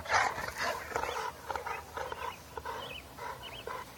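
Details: Bullmastiff x Boerboel crossbreed dog giving a run of short, harsh barks, roughly two a second, loudest at the start and fading, with faint chirping birds in the background.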